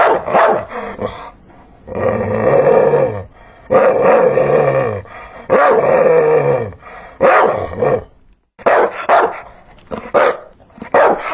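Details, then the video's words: Dog giving long rough growling barks in drawn-out bursts of about a second each, with low harmonic rumbles beneath, separated by brief gaps. "Hear the sound of a dog barking"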